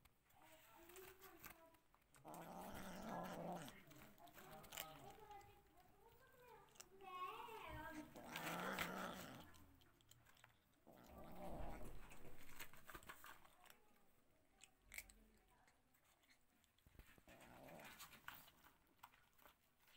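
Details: Domestic mother cat with kittens exploring a new place; a wavering, drawn-out cat cry bends up and down midway, set among bursts of low rumbling, movement noise and human voices nearby.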